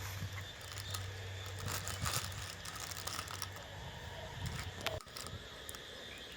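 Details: Handling clicks, crinkling and a low hum with no clear animal call. A sharp thump stands out near the end, and no frog chorus can be picked out.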